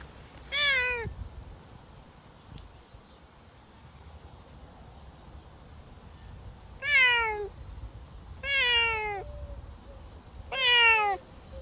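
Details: Savannah cat outdoors on a summer walk, giving four loud, sharply descending harmonic calls, one early and three in quick succession near the end, with faint high chirps from small birds in the background.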